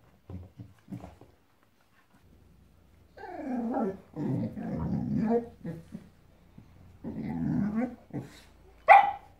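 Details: Female Boxador puppy aged five months, hating her new Pinky Pig toy indoors: soft huffs, then long throaty growls with rough, wavering tone, a second growling bout and a sudden sharp bark at the end.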